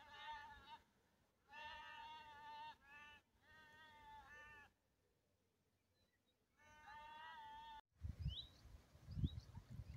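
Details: A couple of lambs that have misplaced their mother call for her. Four drawn-out, quavering bleats, each about a second long with rich harmonics, come at a steady pace with short pauses, followed by gusty wind rumble and faint bird chirps.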